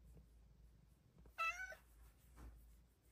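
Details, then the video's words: Bengal cat giving a sweet tiny meow: one short, clear, slightly rising mew with bright overtones, followed by a faint quieter sound in a quiet room. "Kitty with the sweetest meow!"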